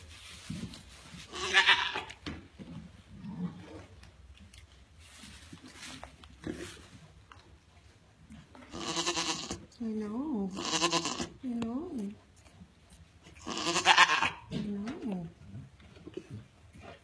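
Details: A pregnant African pygmy goat doe on her kidding day, around 9am, restless and in discomfort with a full, tight udder, bleats in short, quavering, nasal bursts with rough noisy cries between them; she later kidded triplets.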